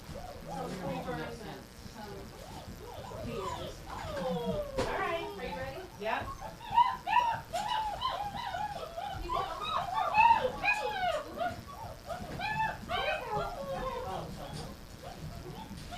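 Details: Numerous dogs fed gruel in a kitchen on January 20, 2017 keep up a noisy din of looping, wavering howls and short yelps, many voices at once, mixed with people chatting and a splash of water.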